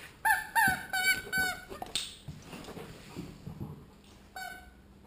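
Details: Alaskan Malamute named Liam playing, giving a series of short, wavering howl-like yelps with strong harmonics, about five in the first two seconds, then quieter rustling and one last short yelp near the end.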